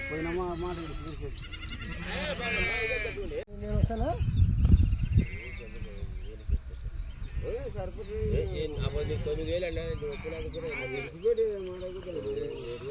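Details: Sheep just bought at a low price in a village: a quavering, wavering bleat with rich harmonics in the first few seconds, followed by people talking continuously over a low rumble.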